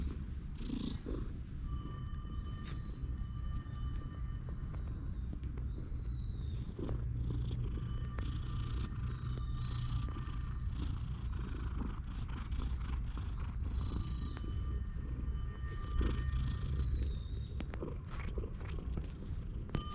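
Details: Low continuous purring from a stray cat lying on a person's lap on a park bench as it is petted, recorded on a GoPro HERO8. Repeated high bird chirps sound over the purr.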